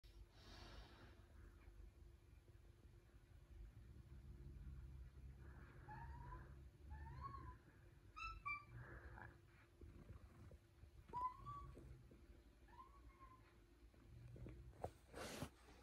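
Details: Cat with a soft meow utters a series of quiet, short, upward-bending meows, about five across the stretch, with faint breathing and rustling noises and a sharp knock near the end.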